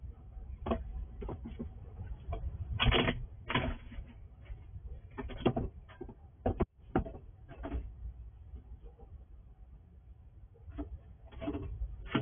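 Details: Wild squirrel eating at night at a house, captured on a night vision recording: sharp, irregular crunching and clicking bursts, some in quick clusters, over a low steady room hum.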